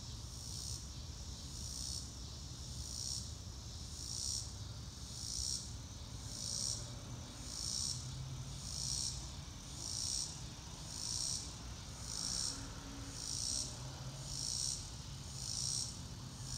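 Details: Crickets chirp in grass under a blue sky with drifting clouds, a steady high pulsing trill swelling and fading about once a second, over a low rumbling background.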